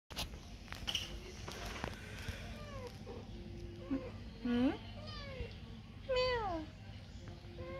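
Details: Kohfie, a semi-toothless female cat, howls loudly outside at 5 AM after catching a mouse. Several drawn-out harmonic wails slide downward in pitch, with a person speaking and steady background hum.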